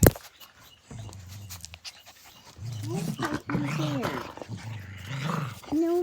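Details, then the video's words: Playing Blue Heeler puppies, Australian Cattle Dogs, trade low rumbling growls that break into arched, yowling yips. A sharp knock opens the sequence, with a human voice near the end. "Cattle dog puppies- ACD AUSTRALIAN CATTLE DOGS Blue Heelers"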